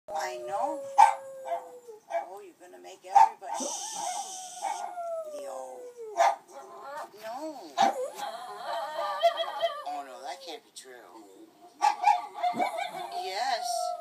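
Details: Oversized female Bichon Frise howling along with another dog heard on a recording, long wavering tones sliding slowly downward, broken by sharp barks, with speech and other noises in between.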